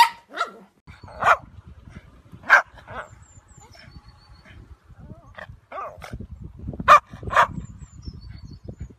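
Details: A ruby Cavalier King Charles Spaniel barks in short, bright yips, sometimes doubled, with uneven pauses of a second or more; low background rumble, no long howl.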